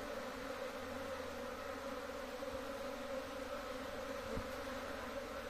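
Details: Honey bees from a large colony in home beekeeping, producing an unwavering hum with strong low and mid bands, one brief knock partway through.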